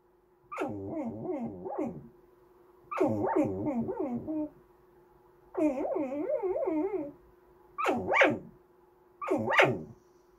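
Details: Goldendoodle Andy whining and yelping for snacks or attention, five bursts of quick rising-and-falling yips and warbles, the last two short and sharp, indoors.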